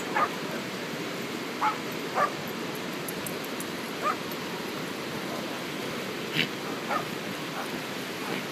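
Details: Corgi puppies digging; short high yips break out about six times at uneven intervals above a steady hiss of background noise.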